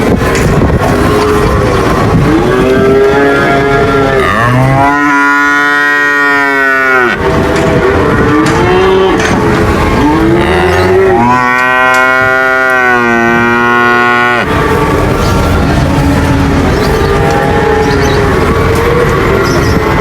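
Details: Cattle lowing: shorter bent moos open the stretch, then two long, steady, strongly harmonic bellows, each lasting about two seconds, stand out from a continuous background of further mooing.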